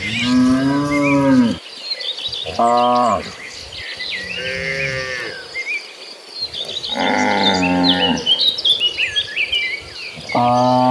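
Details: Cattle herd heading to a green pasture, mooing in turns: a long falling moo, shorter steady calls and a strong drawn-out low, over a backdrop of bird chirps and insect noise.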